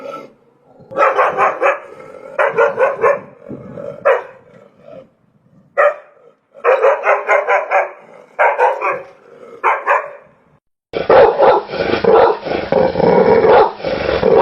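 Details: A dog barks repeatedly in quick clusters of several sharp barks, with short gaps between them. Near the end comes a denser, rougher stretch of barking with a more muffled tone.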